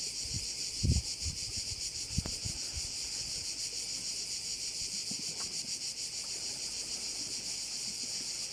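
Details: Chorus of crickets by a bay in Korčula: continuous high rasping buzz with a regular throbbing pulse, while a few low knocks and faint wind or surf noise sit underneath.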